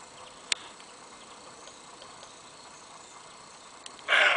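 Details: A male roe deer gives one loud, harsh, hoarse bark near the end, after seconds of quiet hiss and a faint click, by the trenches of Fort Skała, Kraków Observatory, Poland, in daytime, 12 February 2012.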